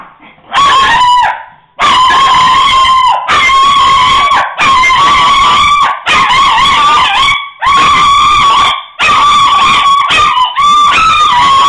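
A Shih Tzu gives drawn-out, high yelping barks in loud bursts, with a girl barking along.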